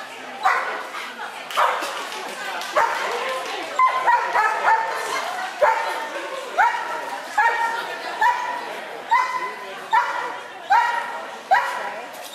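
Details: Belle, a Clumber Spaniel, gives a run of sharp, ringing barks, each with a rising yelp-like onset and layered overtones, repeated at roughly one-second intervals across the whole stretch, with nothing else prominent.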